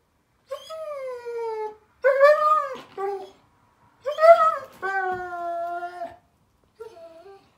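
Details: Daisy, a German Shepherd puppy, cries at bedtime on 15 May 2021: high, drawn-out whines that slide downward, in four bouts across seven seconds, one breaking into a rising wail, the last brief and softer.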